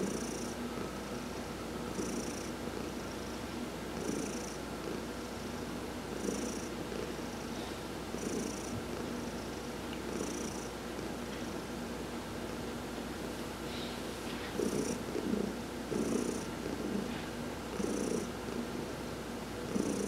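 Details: Adopted house cat Heidi purrs through a massage while sunbathing, November 19, 2020: continuous low rumble swelling in regular breath cycles about every two seconds, each surge carrying a faint airy hiss.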